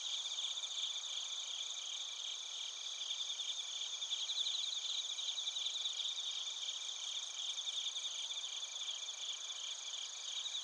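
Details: A continuous night-insect chorus of bell crickets and crickets from Narita, Chiba, Japan, captured with a TASCAM Portacapture X8: many high, quickly pulsed trills blend into an even, shimmering drone with faint background hiss.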